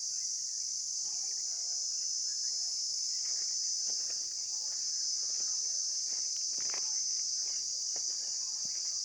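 Insects keep up a steady, shrill, high-pitched drone without a break.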